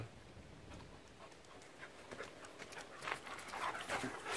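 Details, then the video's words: Dogs playing together on a hiking trail, where another dog was met; quick rhythmic breathy panting bursts, uneven in pace, with light rustling in the background. "Dogs playing at hiking trail"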